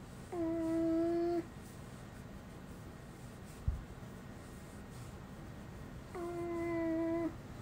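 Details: Pet dog Uni, which has never barked a typical woof since young and makes only humanlike sounds, utters two flat, sung-sounding vowel tones of about a second, roughly six seconds apart, with a single tap between them indoors.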